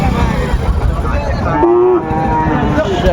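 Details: Sahiwal bull calves being bought and sold at the start of market day at Ambari cattle market, Dinajpur, on 21 March 2025; one short mid-pitched moo rises out of a steady din of crowd chatter and market noise.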